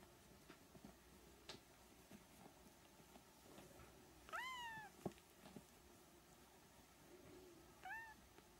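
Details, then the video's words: Three-week-old Siamese kittens calling indoors: a clear, high meow that rises then curves downward, followed a few seconds later by a shorter, fainter second mew, amid light handling clicks and soft background hum. "Siamese kittens (3 weeks)"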